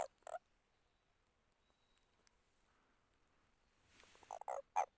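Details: Frog calling as if reluctantly: two short, harsh croaks at the start, then a long quiet gap, and a cluster of three more brief, rough calls near the end.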